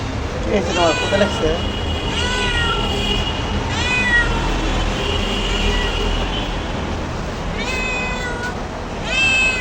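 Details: Crying cat giving repeated meows, some long and falling, others short, with a brief voice-like murmur near the start and a constant low rumble behind.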